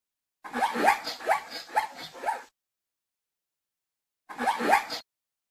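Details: Zebra calling: a run of four rough, barking yelps with rising pitch, fast and evenly spaced, then a pause and a shorter burst of two more yelps; no other sounds.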